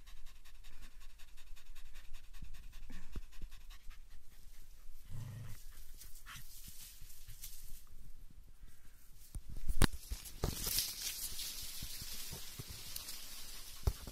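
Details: German Hunting Terrier in a fight with a raccoon dog that repeatedly plays dead: steady low panting with rustling and scuffling, a short low grunt-like burst midway and louder thuds of struggle later.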